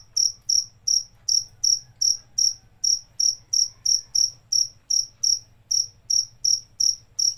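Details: Shrill, high-pitched cricket chirps repeat steadily almost three times a second. Each pulse is short and bright, with a soft low rumble underneath.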